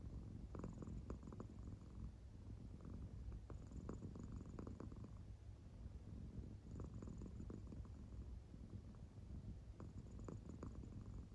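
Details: Sound-asleep pet cat Claire, an American Shorthair, purring indoors; soft, unbroken low rumble with gentle breathing surges recurring about every three seconds over eleven seconds.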